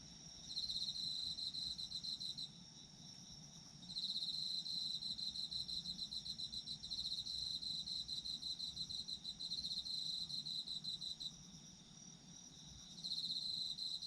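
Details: Chorus of autumn insects, several high-pitched trilling callers overlapping; rapid pulsed chirps come in bursts of a few seconds separated by short lulls while a continuous thin ringing tone persists underneath.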